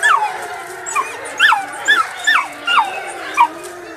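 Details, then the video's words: Wolf pups giving a quick series of short, high, downslurred yips and whimpers, about six bursts in four seconds, with faint background noise. "Baby Wolf Pups Howling"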